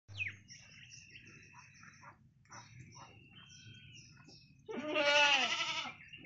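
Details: Hungry baby goat drinking its mother's milk gives one loud, harmonic, wavering bleat of about a second near the end, after several seconds of faint, thin chirping and scattered soft noises.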